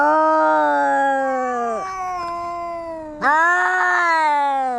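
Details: Cats fighting, a long drawn-out yowl held steady before dipping, then a louder wail rising abruptly and slowly sliding down, rich harmonic tone throughout.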